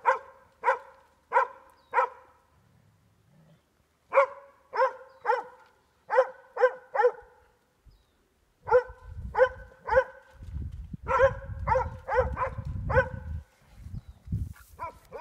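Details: A Plott hound and a Border Collie bay a boar in a creek, giving evenly spaced loud barks in clusters. Later barking is mixed with low rumbling and splashing from the scuffle in the water.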